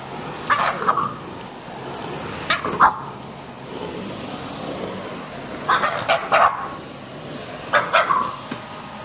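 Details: French Bulldog barking at a vacuum cleaner during the household's every-morning routine, with strained, squeezed-out barks. The barks come in short clusters of two or three, separated by pauses, over the steady hum of the vacuum.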